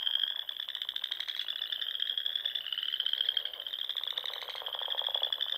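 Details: Frogs singing in spring from ponds in the Nebraska Sandhills at dusk; dense, unbroken high-pitched trilling with steady fast pulsing and a softer, grating lower croak that rises near the end.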